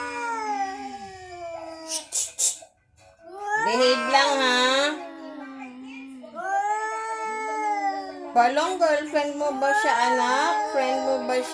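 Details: Strange sound from a visiting cat around Halloween: long wavering wails interrupted by a short click-like noise and a near-silent gap, then more drawn-out moans and a rougher, broken final stretch.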